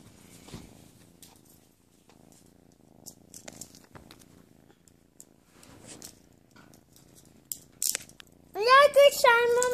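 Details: Playful kitten indoors purring in a soft, steady low rumble with faint rustling, until a loud, high, wavering human voice breaks in near the end.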